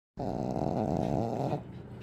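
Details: Pekingese dog snoring while asleep at home: a loud, rough, rattling low snore held for about one and a half seconds, then fading to quieter breathing.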